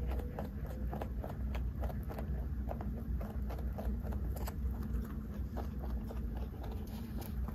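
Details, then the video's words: Big 3.2 kg pet rabbit eating treats: a long, steady series of dry crunching clicks and nibbles, fairly regular in rhythm, set against a continuous deep hum. "까까 받아먹는 3.2kg 왕토끼 ASMR"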